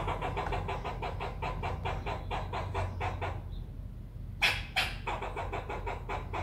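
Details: Squirrel chattering in a fast, even run of harsh pulsed notes, roughly eight per second for over three seconds. A brief pause follows, then two sharp clicks before the rapid chatter resumes.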